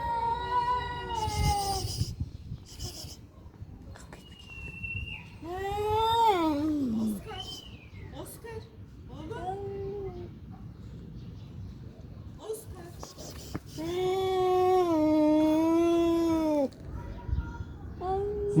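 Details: Cats fighting, giving long wavering yowls that rise and fall in pitch, some drawn out over several seconds with strained harmonics, between short gaps; a woman's voice speaks briefly in the background.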